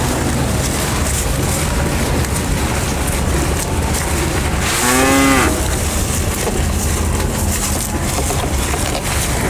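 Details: Bull cattle eating elephant grass, giving one short, deep, low moo lasting under a second midway through, set against a constant broadband rustling and hum.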